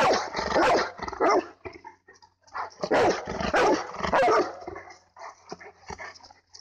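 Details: On a nature walk with three Bernese mountain dogs, one barks in rough, dense bursts, heavy at the start and around the middle, then thins to scattered softer yips.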